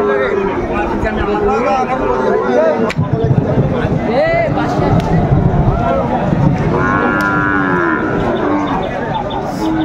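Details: Sahiwal bull calves at a livestock market in Pabna, Bangladesh, on 30 June 2024, lowing in several harmonic moos, one higher drawn-out call late on, amid steady crowd chatter and men bargaining over prices.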